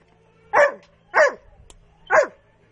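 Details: Pet dog, a girl, barking three times at roughly even intervals of about 0.6 to 0.9 seconds, each bark short and loud with a downward slide, in a quiet indoor setting.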